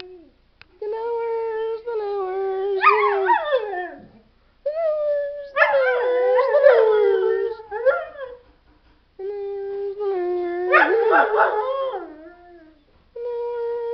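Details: Dog howling in drawn-out bouts of about three seconds, each sliding and wavering in pitch with rich overtones, broken by short silences; some bouts end in quavering, yodel-like wobbles.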